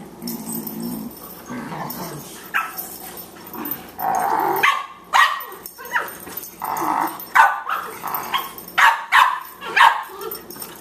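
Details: Playful Boxers, young Margie at 14 weeks and older Lou Dog, wrestling: low growling early on gives way to a run of loud, rapid barks repeated roughly every half second in the second half.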